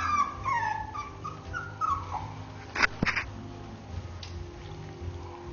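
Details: Three-week-old Basenji puppies give thin, high whimpers that slide downward, several in quick succession.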